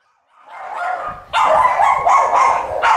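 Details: West Highland White Terrier puppies, a litter of boys and girls at a licensed breeder's kennels, giving high yipping barks and whimpers in quick uneven bursts after a quiet start.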